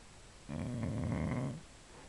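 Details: Sleeping female Boxer dog lets out a single loud, rough, rumbling snore lasting about one second, indoors.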